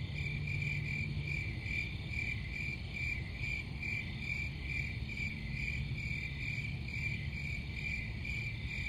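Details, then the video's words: Cricket chorus of fast, slightly uneven pulsed chirps in a sustained high trill, accompanied by steady low-frequency rumble. "Crickets Sound"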